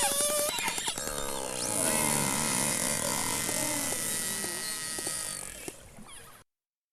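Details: A killer whale underwater in the Gulf of St. Lawrence gives a burst of sharp clicks, which are used for orientation. Rich, wavering calls that rise and fall follow; such calls are used to communicate.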